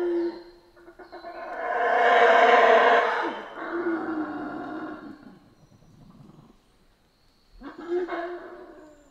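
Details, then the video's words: Central American rainforest howler monkeys: a big, gravelly roar surging to a peak, trailing into lower moaning grunts, a near-silent gap, then a short renewed burst of roaring. "Rainforest Howler Monkeys Sounds"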